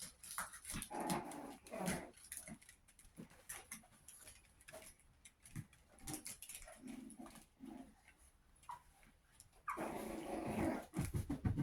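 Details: Chihuahua puppies, 61 days old, giving a few short, low growling or yipping sounds amid frequent scuffling, tapping and handling noises, with a louder, rougher burst of noise near the end.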